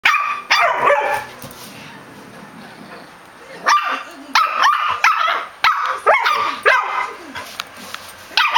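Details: Two pet dogs chattering at each other, sharp loud barks in irregular bursts, a pair near the start, then a quick run of five or six barks toward the end, with quiet gaps between.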